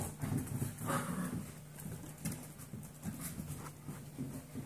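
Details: Seven-week-old Golden Retriever mix foster puppies (Canis familiaris) play outside their playpen, grumbling with low, rough play growls amid scuffling thumps.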